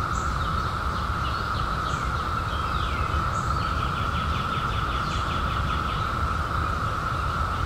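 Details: Cicada chorus, part of the 17-year emergence of 2021, a constant monotone drone, while birds add repeated fast trills and short chips higher up, over low rumbling background noise.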